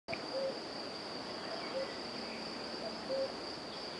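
European fire-bellied toad giving soft, hollow, mellow 'oop' notes, one roughly every second and a half, over a steady high insect drone.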